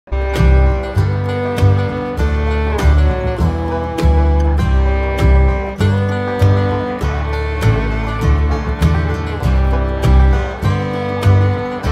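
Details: Loud country-style guitar music with steady plucked strums throughout and no animal sounds.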